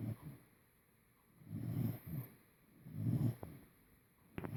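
An English Cocker Spaniel snores in low, rumbling breaths about every one and a half seconds.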